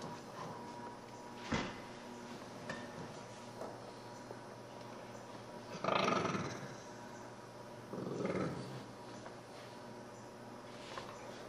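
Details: Puppies at play indoors, with a low rumbling growl rising near six seconds and another brief growl around eight seconds, separated by quiet scuffling and a sharp knock early on.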